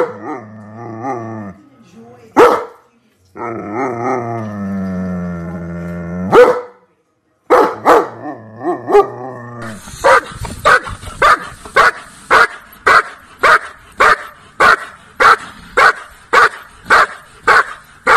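A German Shepherd gives drawn-out whining howls, then a run of loud, sharp barks about once a second.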